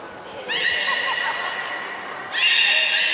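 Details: At Port of Nagoya Public Aquarium, the beluga Nana in a training session, April 2019, makes a sustained harmonic whistle with faint warbling lower tones beneath, then a louder higher whistle bursting in after two seconds.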